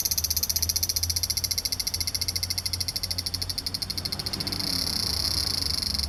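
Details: Large brown cicada recorded on 3 September 2015 in Japan, late in the season when few remain; a loud, harsh buzzing drone pulsing rapidly and steadily throughout, swelling stronger and brighter near the end.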